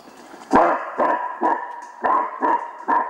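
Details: A roe deer gives its brief alarm cry, a run of short, hoarse barks that resemble some dogs' barking, about two each second.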